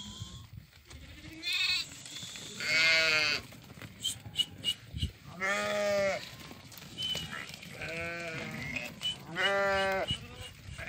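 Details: Sheep from a flock of 50 ewes that have all lambed, with 25 ewe lambs and 25 ram lambs, held for sale in Doukkala, Morocco: about five loud, wavering, harmonic bleats spaced a second or two apart over low farmyard noise.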